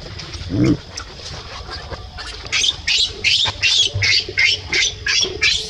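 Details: Baby monkey being scolded by an adult, giving a run of short, high, squeaky squeals about every half second, with a lower grunt near the start.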